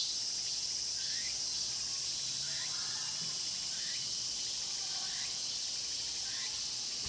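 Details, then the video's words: Cicadas singing in the Mokgye pine grove at Cheongsong, South Korea, recorded on a Panasonic LUMIX GX9: a dense, steady, high-pitched buzzing chorus fills the whole clip, with faint short rising chirps repeating roughly every second underneath. "'청송 목계솔밭 매미소리' cicada sound"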